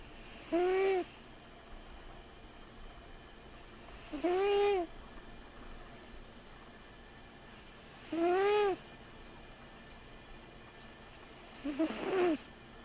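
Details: Sleeping cat snoring fairly loudly: four nasal, tonal snores with a slight rise and fall, each about half a second long and spaced roughly four seconds apart, in a quiet room.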